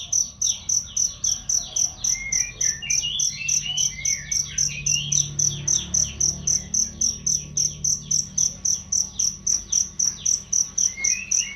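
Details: Training chirps of a cricket for songbirds, loud and clean; a regular train of shrill pulses, about 220 a minute, over scattered bird twitters and short rising whistles, with a faint low hum.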